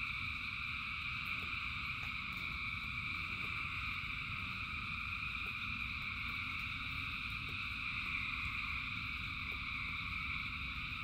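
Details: Thousands of frogs singing in rain: a dense, unbroken chorus forms steady ringing layers of mid and high trilling, over a low constant rumble of rainfall with occasional soft clicks.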